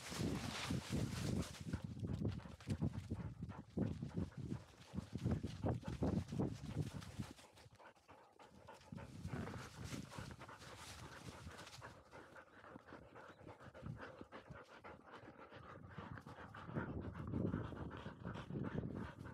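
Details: Labrador Retriever puppy of a field line, 439 days old, dashing up a slope; rough, rapid panting breaths with heavy low rumble and scuffing in the first seven seconds, then softer quick panting and movement noise.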